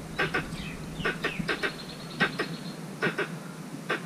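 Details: In a mango orchard, a squirrel calls for a mate with crisp paired clicks repeated in short irregular bursts, while a thin high whistled note from another bird drifts through the background.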